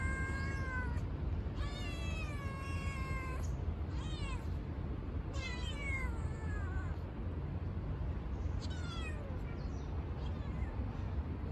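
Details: Baby kitten, a new face among stray cats being fed, meowing repeatedly: long high harmonic cries, some rising then falling, about five calls spread through the stretch over steady low-pitched background rumble.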